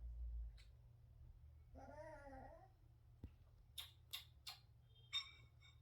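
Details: Indoor Chihuahua giving a soft, threatening growl at its owner, who is eating; a wavering, buzzy tone lasts under a second, followed by several sharp clicks and clatters.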